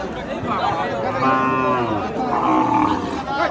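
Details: Dry cows being bought and loaded; a loud, drawn-out moo swells and bends in pitch, then a second, higher moo follows, while men chatter nearby.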